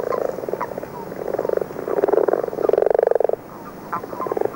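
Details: Common frogs in early-season song, which begins in February, calling with a few common toads: low, dull, pulsed snoring bursts, each about half a second long, repeated in a loose series from a field recording.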